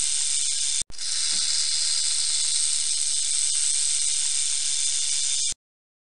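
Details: Dry sizzling buzz of a rattlesnake's rattle, broken by a brief gap near the start, then held evenly and without pause for about four and a half seconds before stopping sharply into silence.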